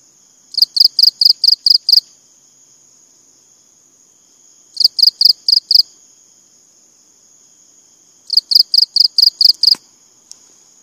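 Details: Three bursts of six or seven sharp, high cricket pulses arrive about every three and a half seconds, with a steady thin whine throughout and a brief click near the end.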